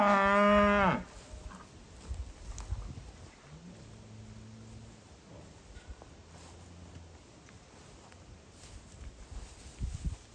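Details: Angus/Hereford cows and calves: one loud, deep, drawn-out moo lasting about a second opens, then only faint low murmurs and quiet background rustling follow.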